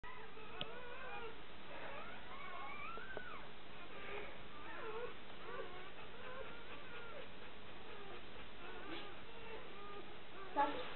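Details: Newborn Bernese Mountain Dog puppies, two to four hours old, lying with their mother in a whelping box after a surprise birth; thin, squeaky whimpers and short wavering mews repeat throughout over a steady low hum.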